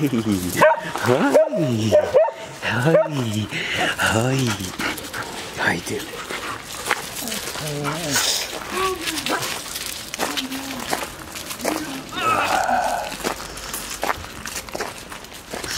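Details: Samoyeds, including a litter of three puppies, playing together at a breeder's kennel; a burst of yapping barks opens the stretch, then people talk and call the dogs while scattered yips and whimpers continue.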